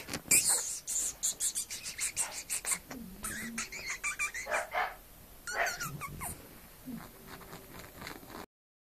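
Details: A female English Bulldog puppy gives soft whimpers and brief high yips among clicks and rustling.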